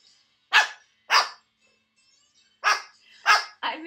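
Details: Loud barking from a neighbour's dog in Georgia: four sharp barks, two early and two after a pause, with a brief whine-like sound at the end.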